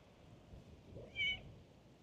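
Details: Calico stray cat in a park on a cat island, kneading with its paws while being stroked, gives a single short high meow with clear harmonic bands, rising briefly then fading, over a low outdoor background hum.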